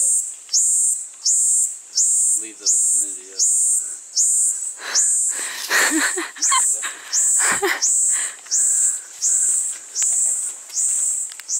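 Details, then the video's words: Noisy tree bug calling: a shrill, high buzzing pulse repeated about every 0.8 seconds with brief gaps, steady and rhythmic, while a person speaks in the background and other faint sounds pass in the middle. "Noisy Tree Bug"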